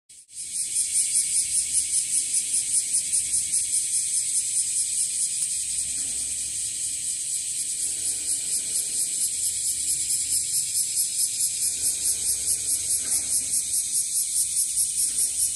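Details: Bear cicada, locally called wasiwasi, singing as its numbers grow, calling from trees and also from grassland: a loud, dense, harsh buzzing pulsed about two to three times per second, steady throughout after a quick start.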